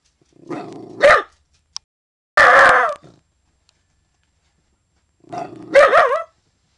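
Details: Young dog, not yet a year old, protecting the yard against an intruder: three drawn-out, growly bursts with a wavering tone, the last rising into a yelping bark, separated by quiet gaps.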